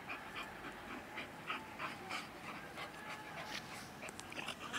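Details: Bull terrier and English bull staffordshire terrier together; quick, breathy panting bursts repeat roughly three times a second with faint whimpering tones, over steady background hiss.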